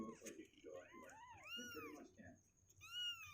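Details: Two-week-old kittens on day 16, legs growing stronger and restless in their box, give a few high, arched mews that rise and fall, with soft voices murmuring beneath.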